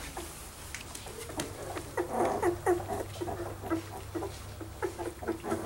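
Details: Dark red standard Poodle puppies from red standard Poodle parents, squeaking and whimpering in quick, irregular high bursts that crowd the middle of the recording, over a steady low hum.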